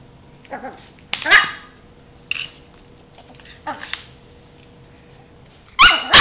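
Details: Four-month-old Chihuahua puppy Mimi, playing with a toy truck on the floor, gives scattered shrill yips and barks, a few seconds apart, finishing with a louder double bark.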